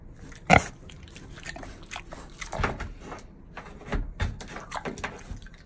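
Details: Mini pig chewing food close up, kept at an exotic animal cafe in Japan; wet, smacking chews and crunches in irregular bursts, with a sharp loud crunch near the start, in a small indoor room.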